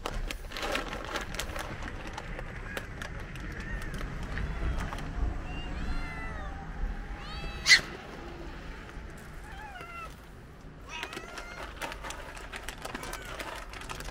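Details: Hungry cats gathered for lunch, meowing repeatedly: drawn-out, wavering mews rise and fall in bursts around the middle and again toward the end, with one sharp loud cry midway, over outdoor background noise and occasional clatter.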